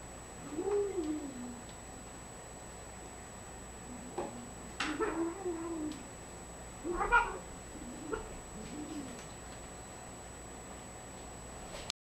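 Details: Domestic cat Spot, unhappy while the kitten Yogi plays with its tail, indoors in a small room; four low, drawn-out, wavering moaning growls spread over twelve seconds, with faint clicks and room hum between them.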